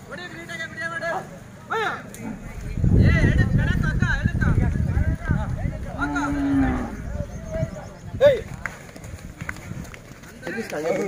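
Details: Hallikar oxen, a pair being walked at VidraAswatha Dhanagala Jhatre: a loud, deep, drawn-out moo of about three seconds rises over nearby talking, with more voices and crowd sounds before and after.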